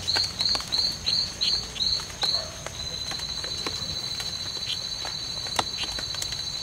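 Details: Male strawberry poison-dart frog (Oophaga pumilio), one of two males fighting in the C.R.A.R.C. reserve, 10 September 2012. Seven short high buzzy chirps at about three per second, then a steady high whine alone.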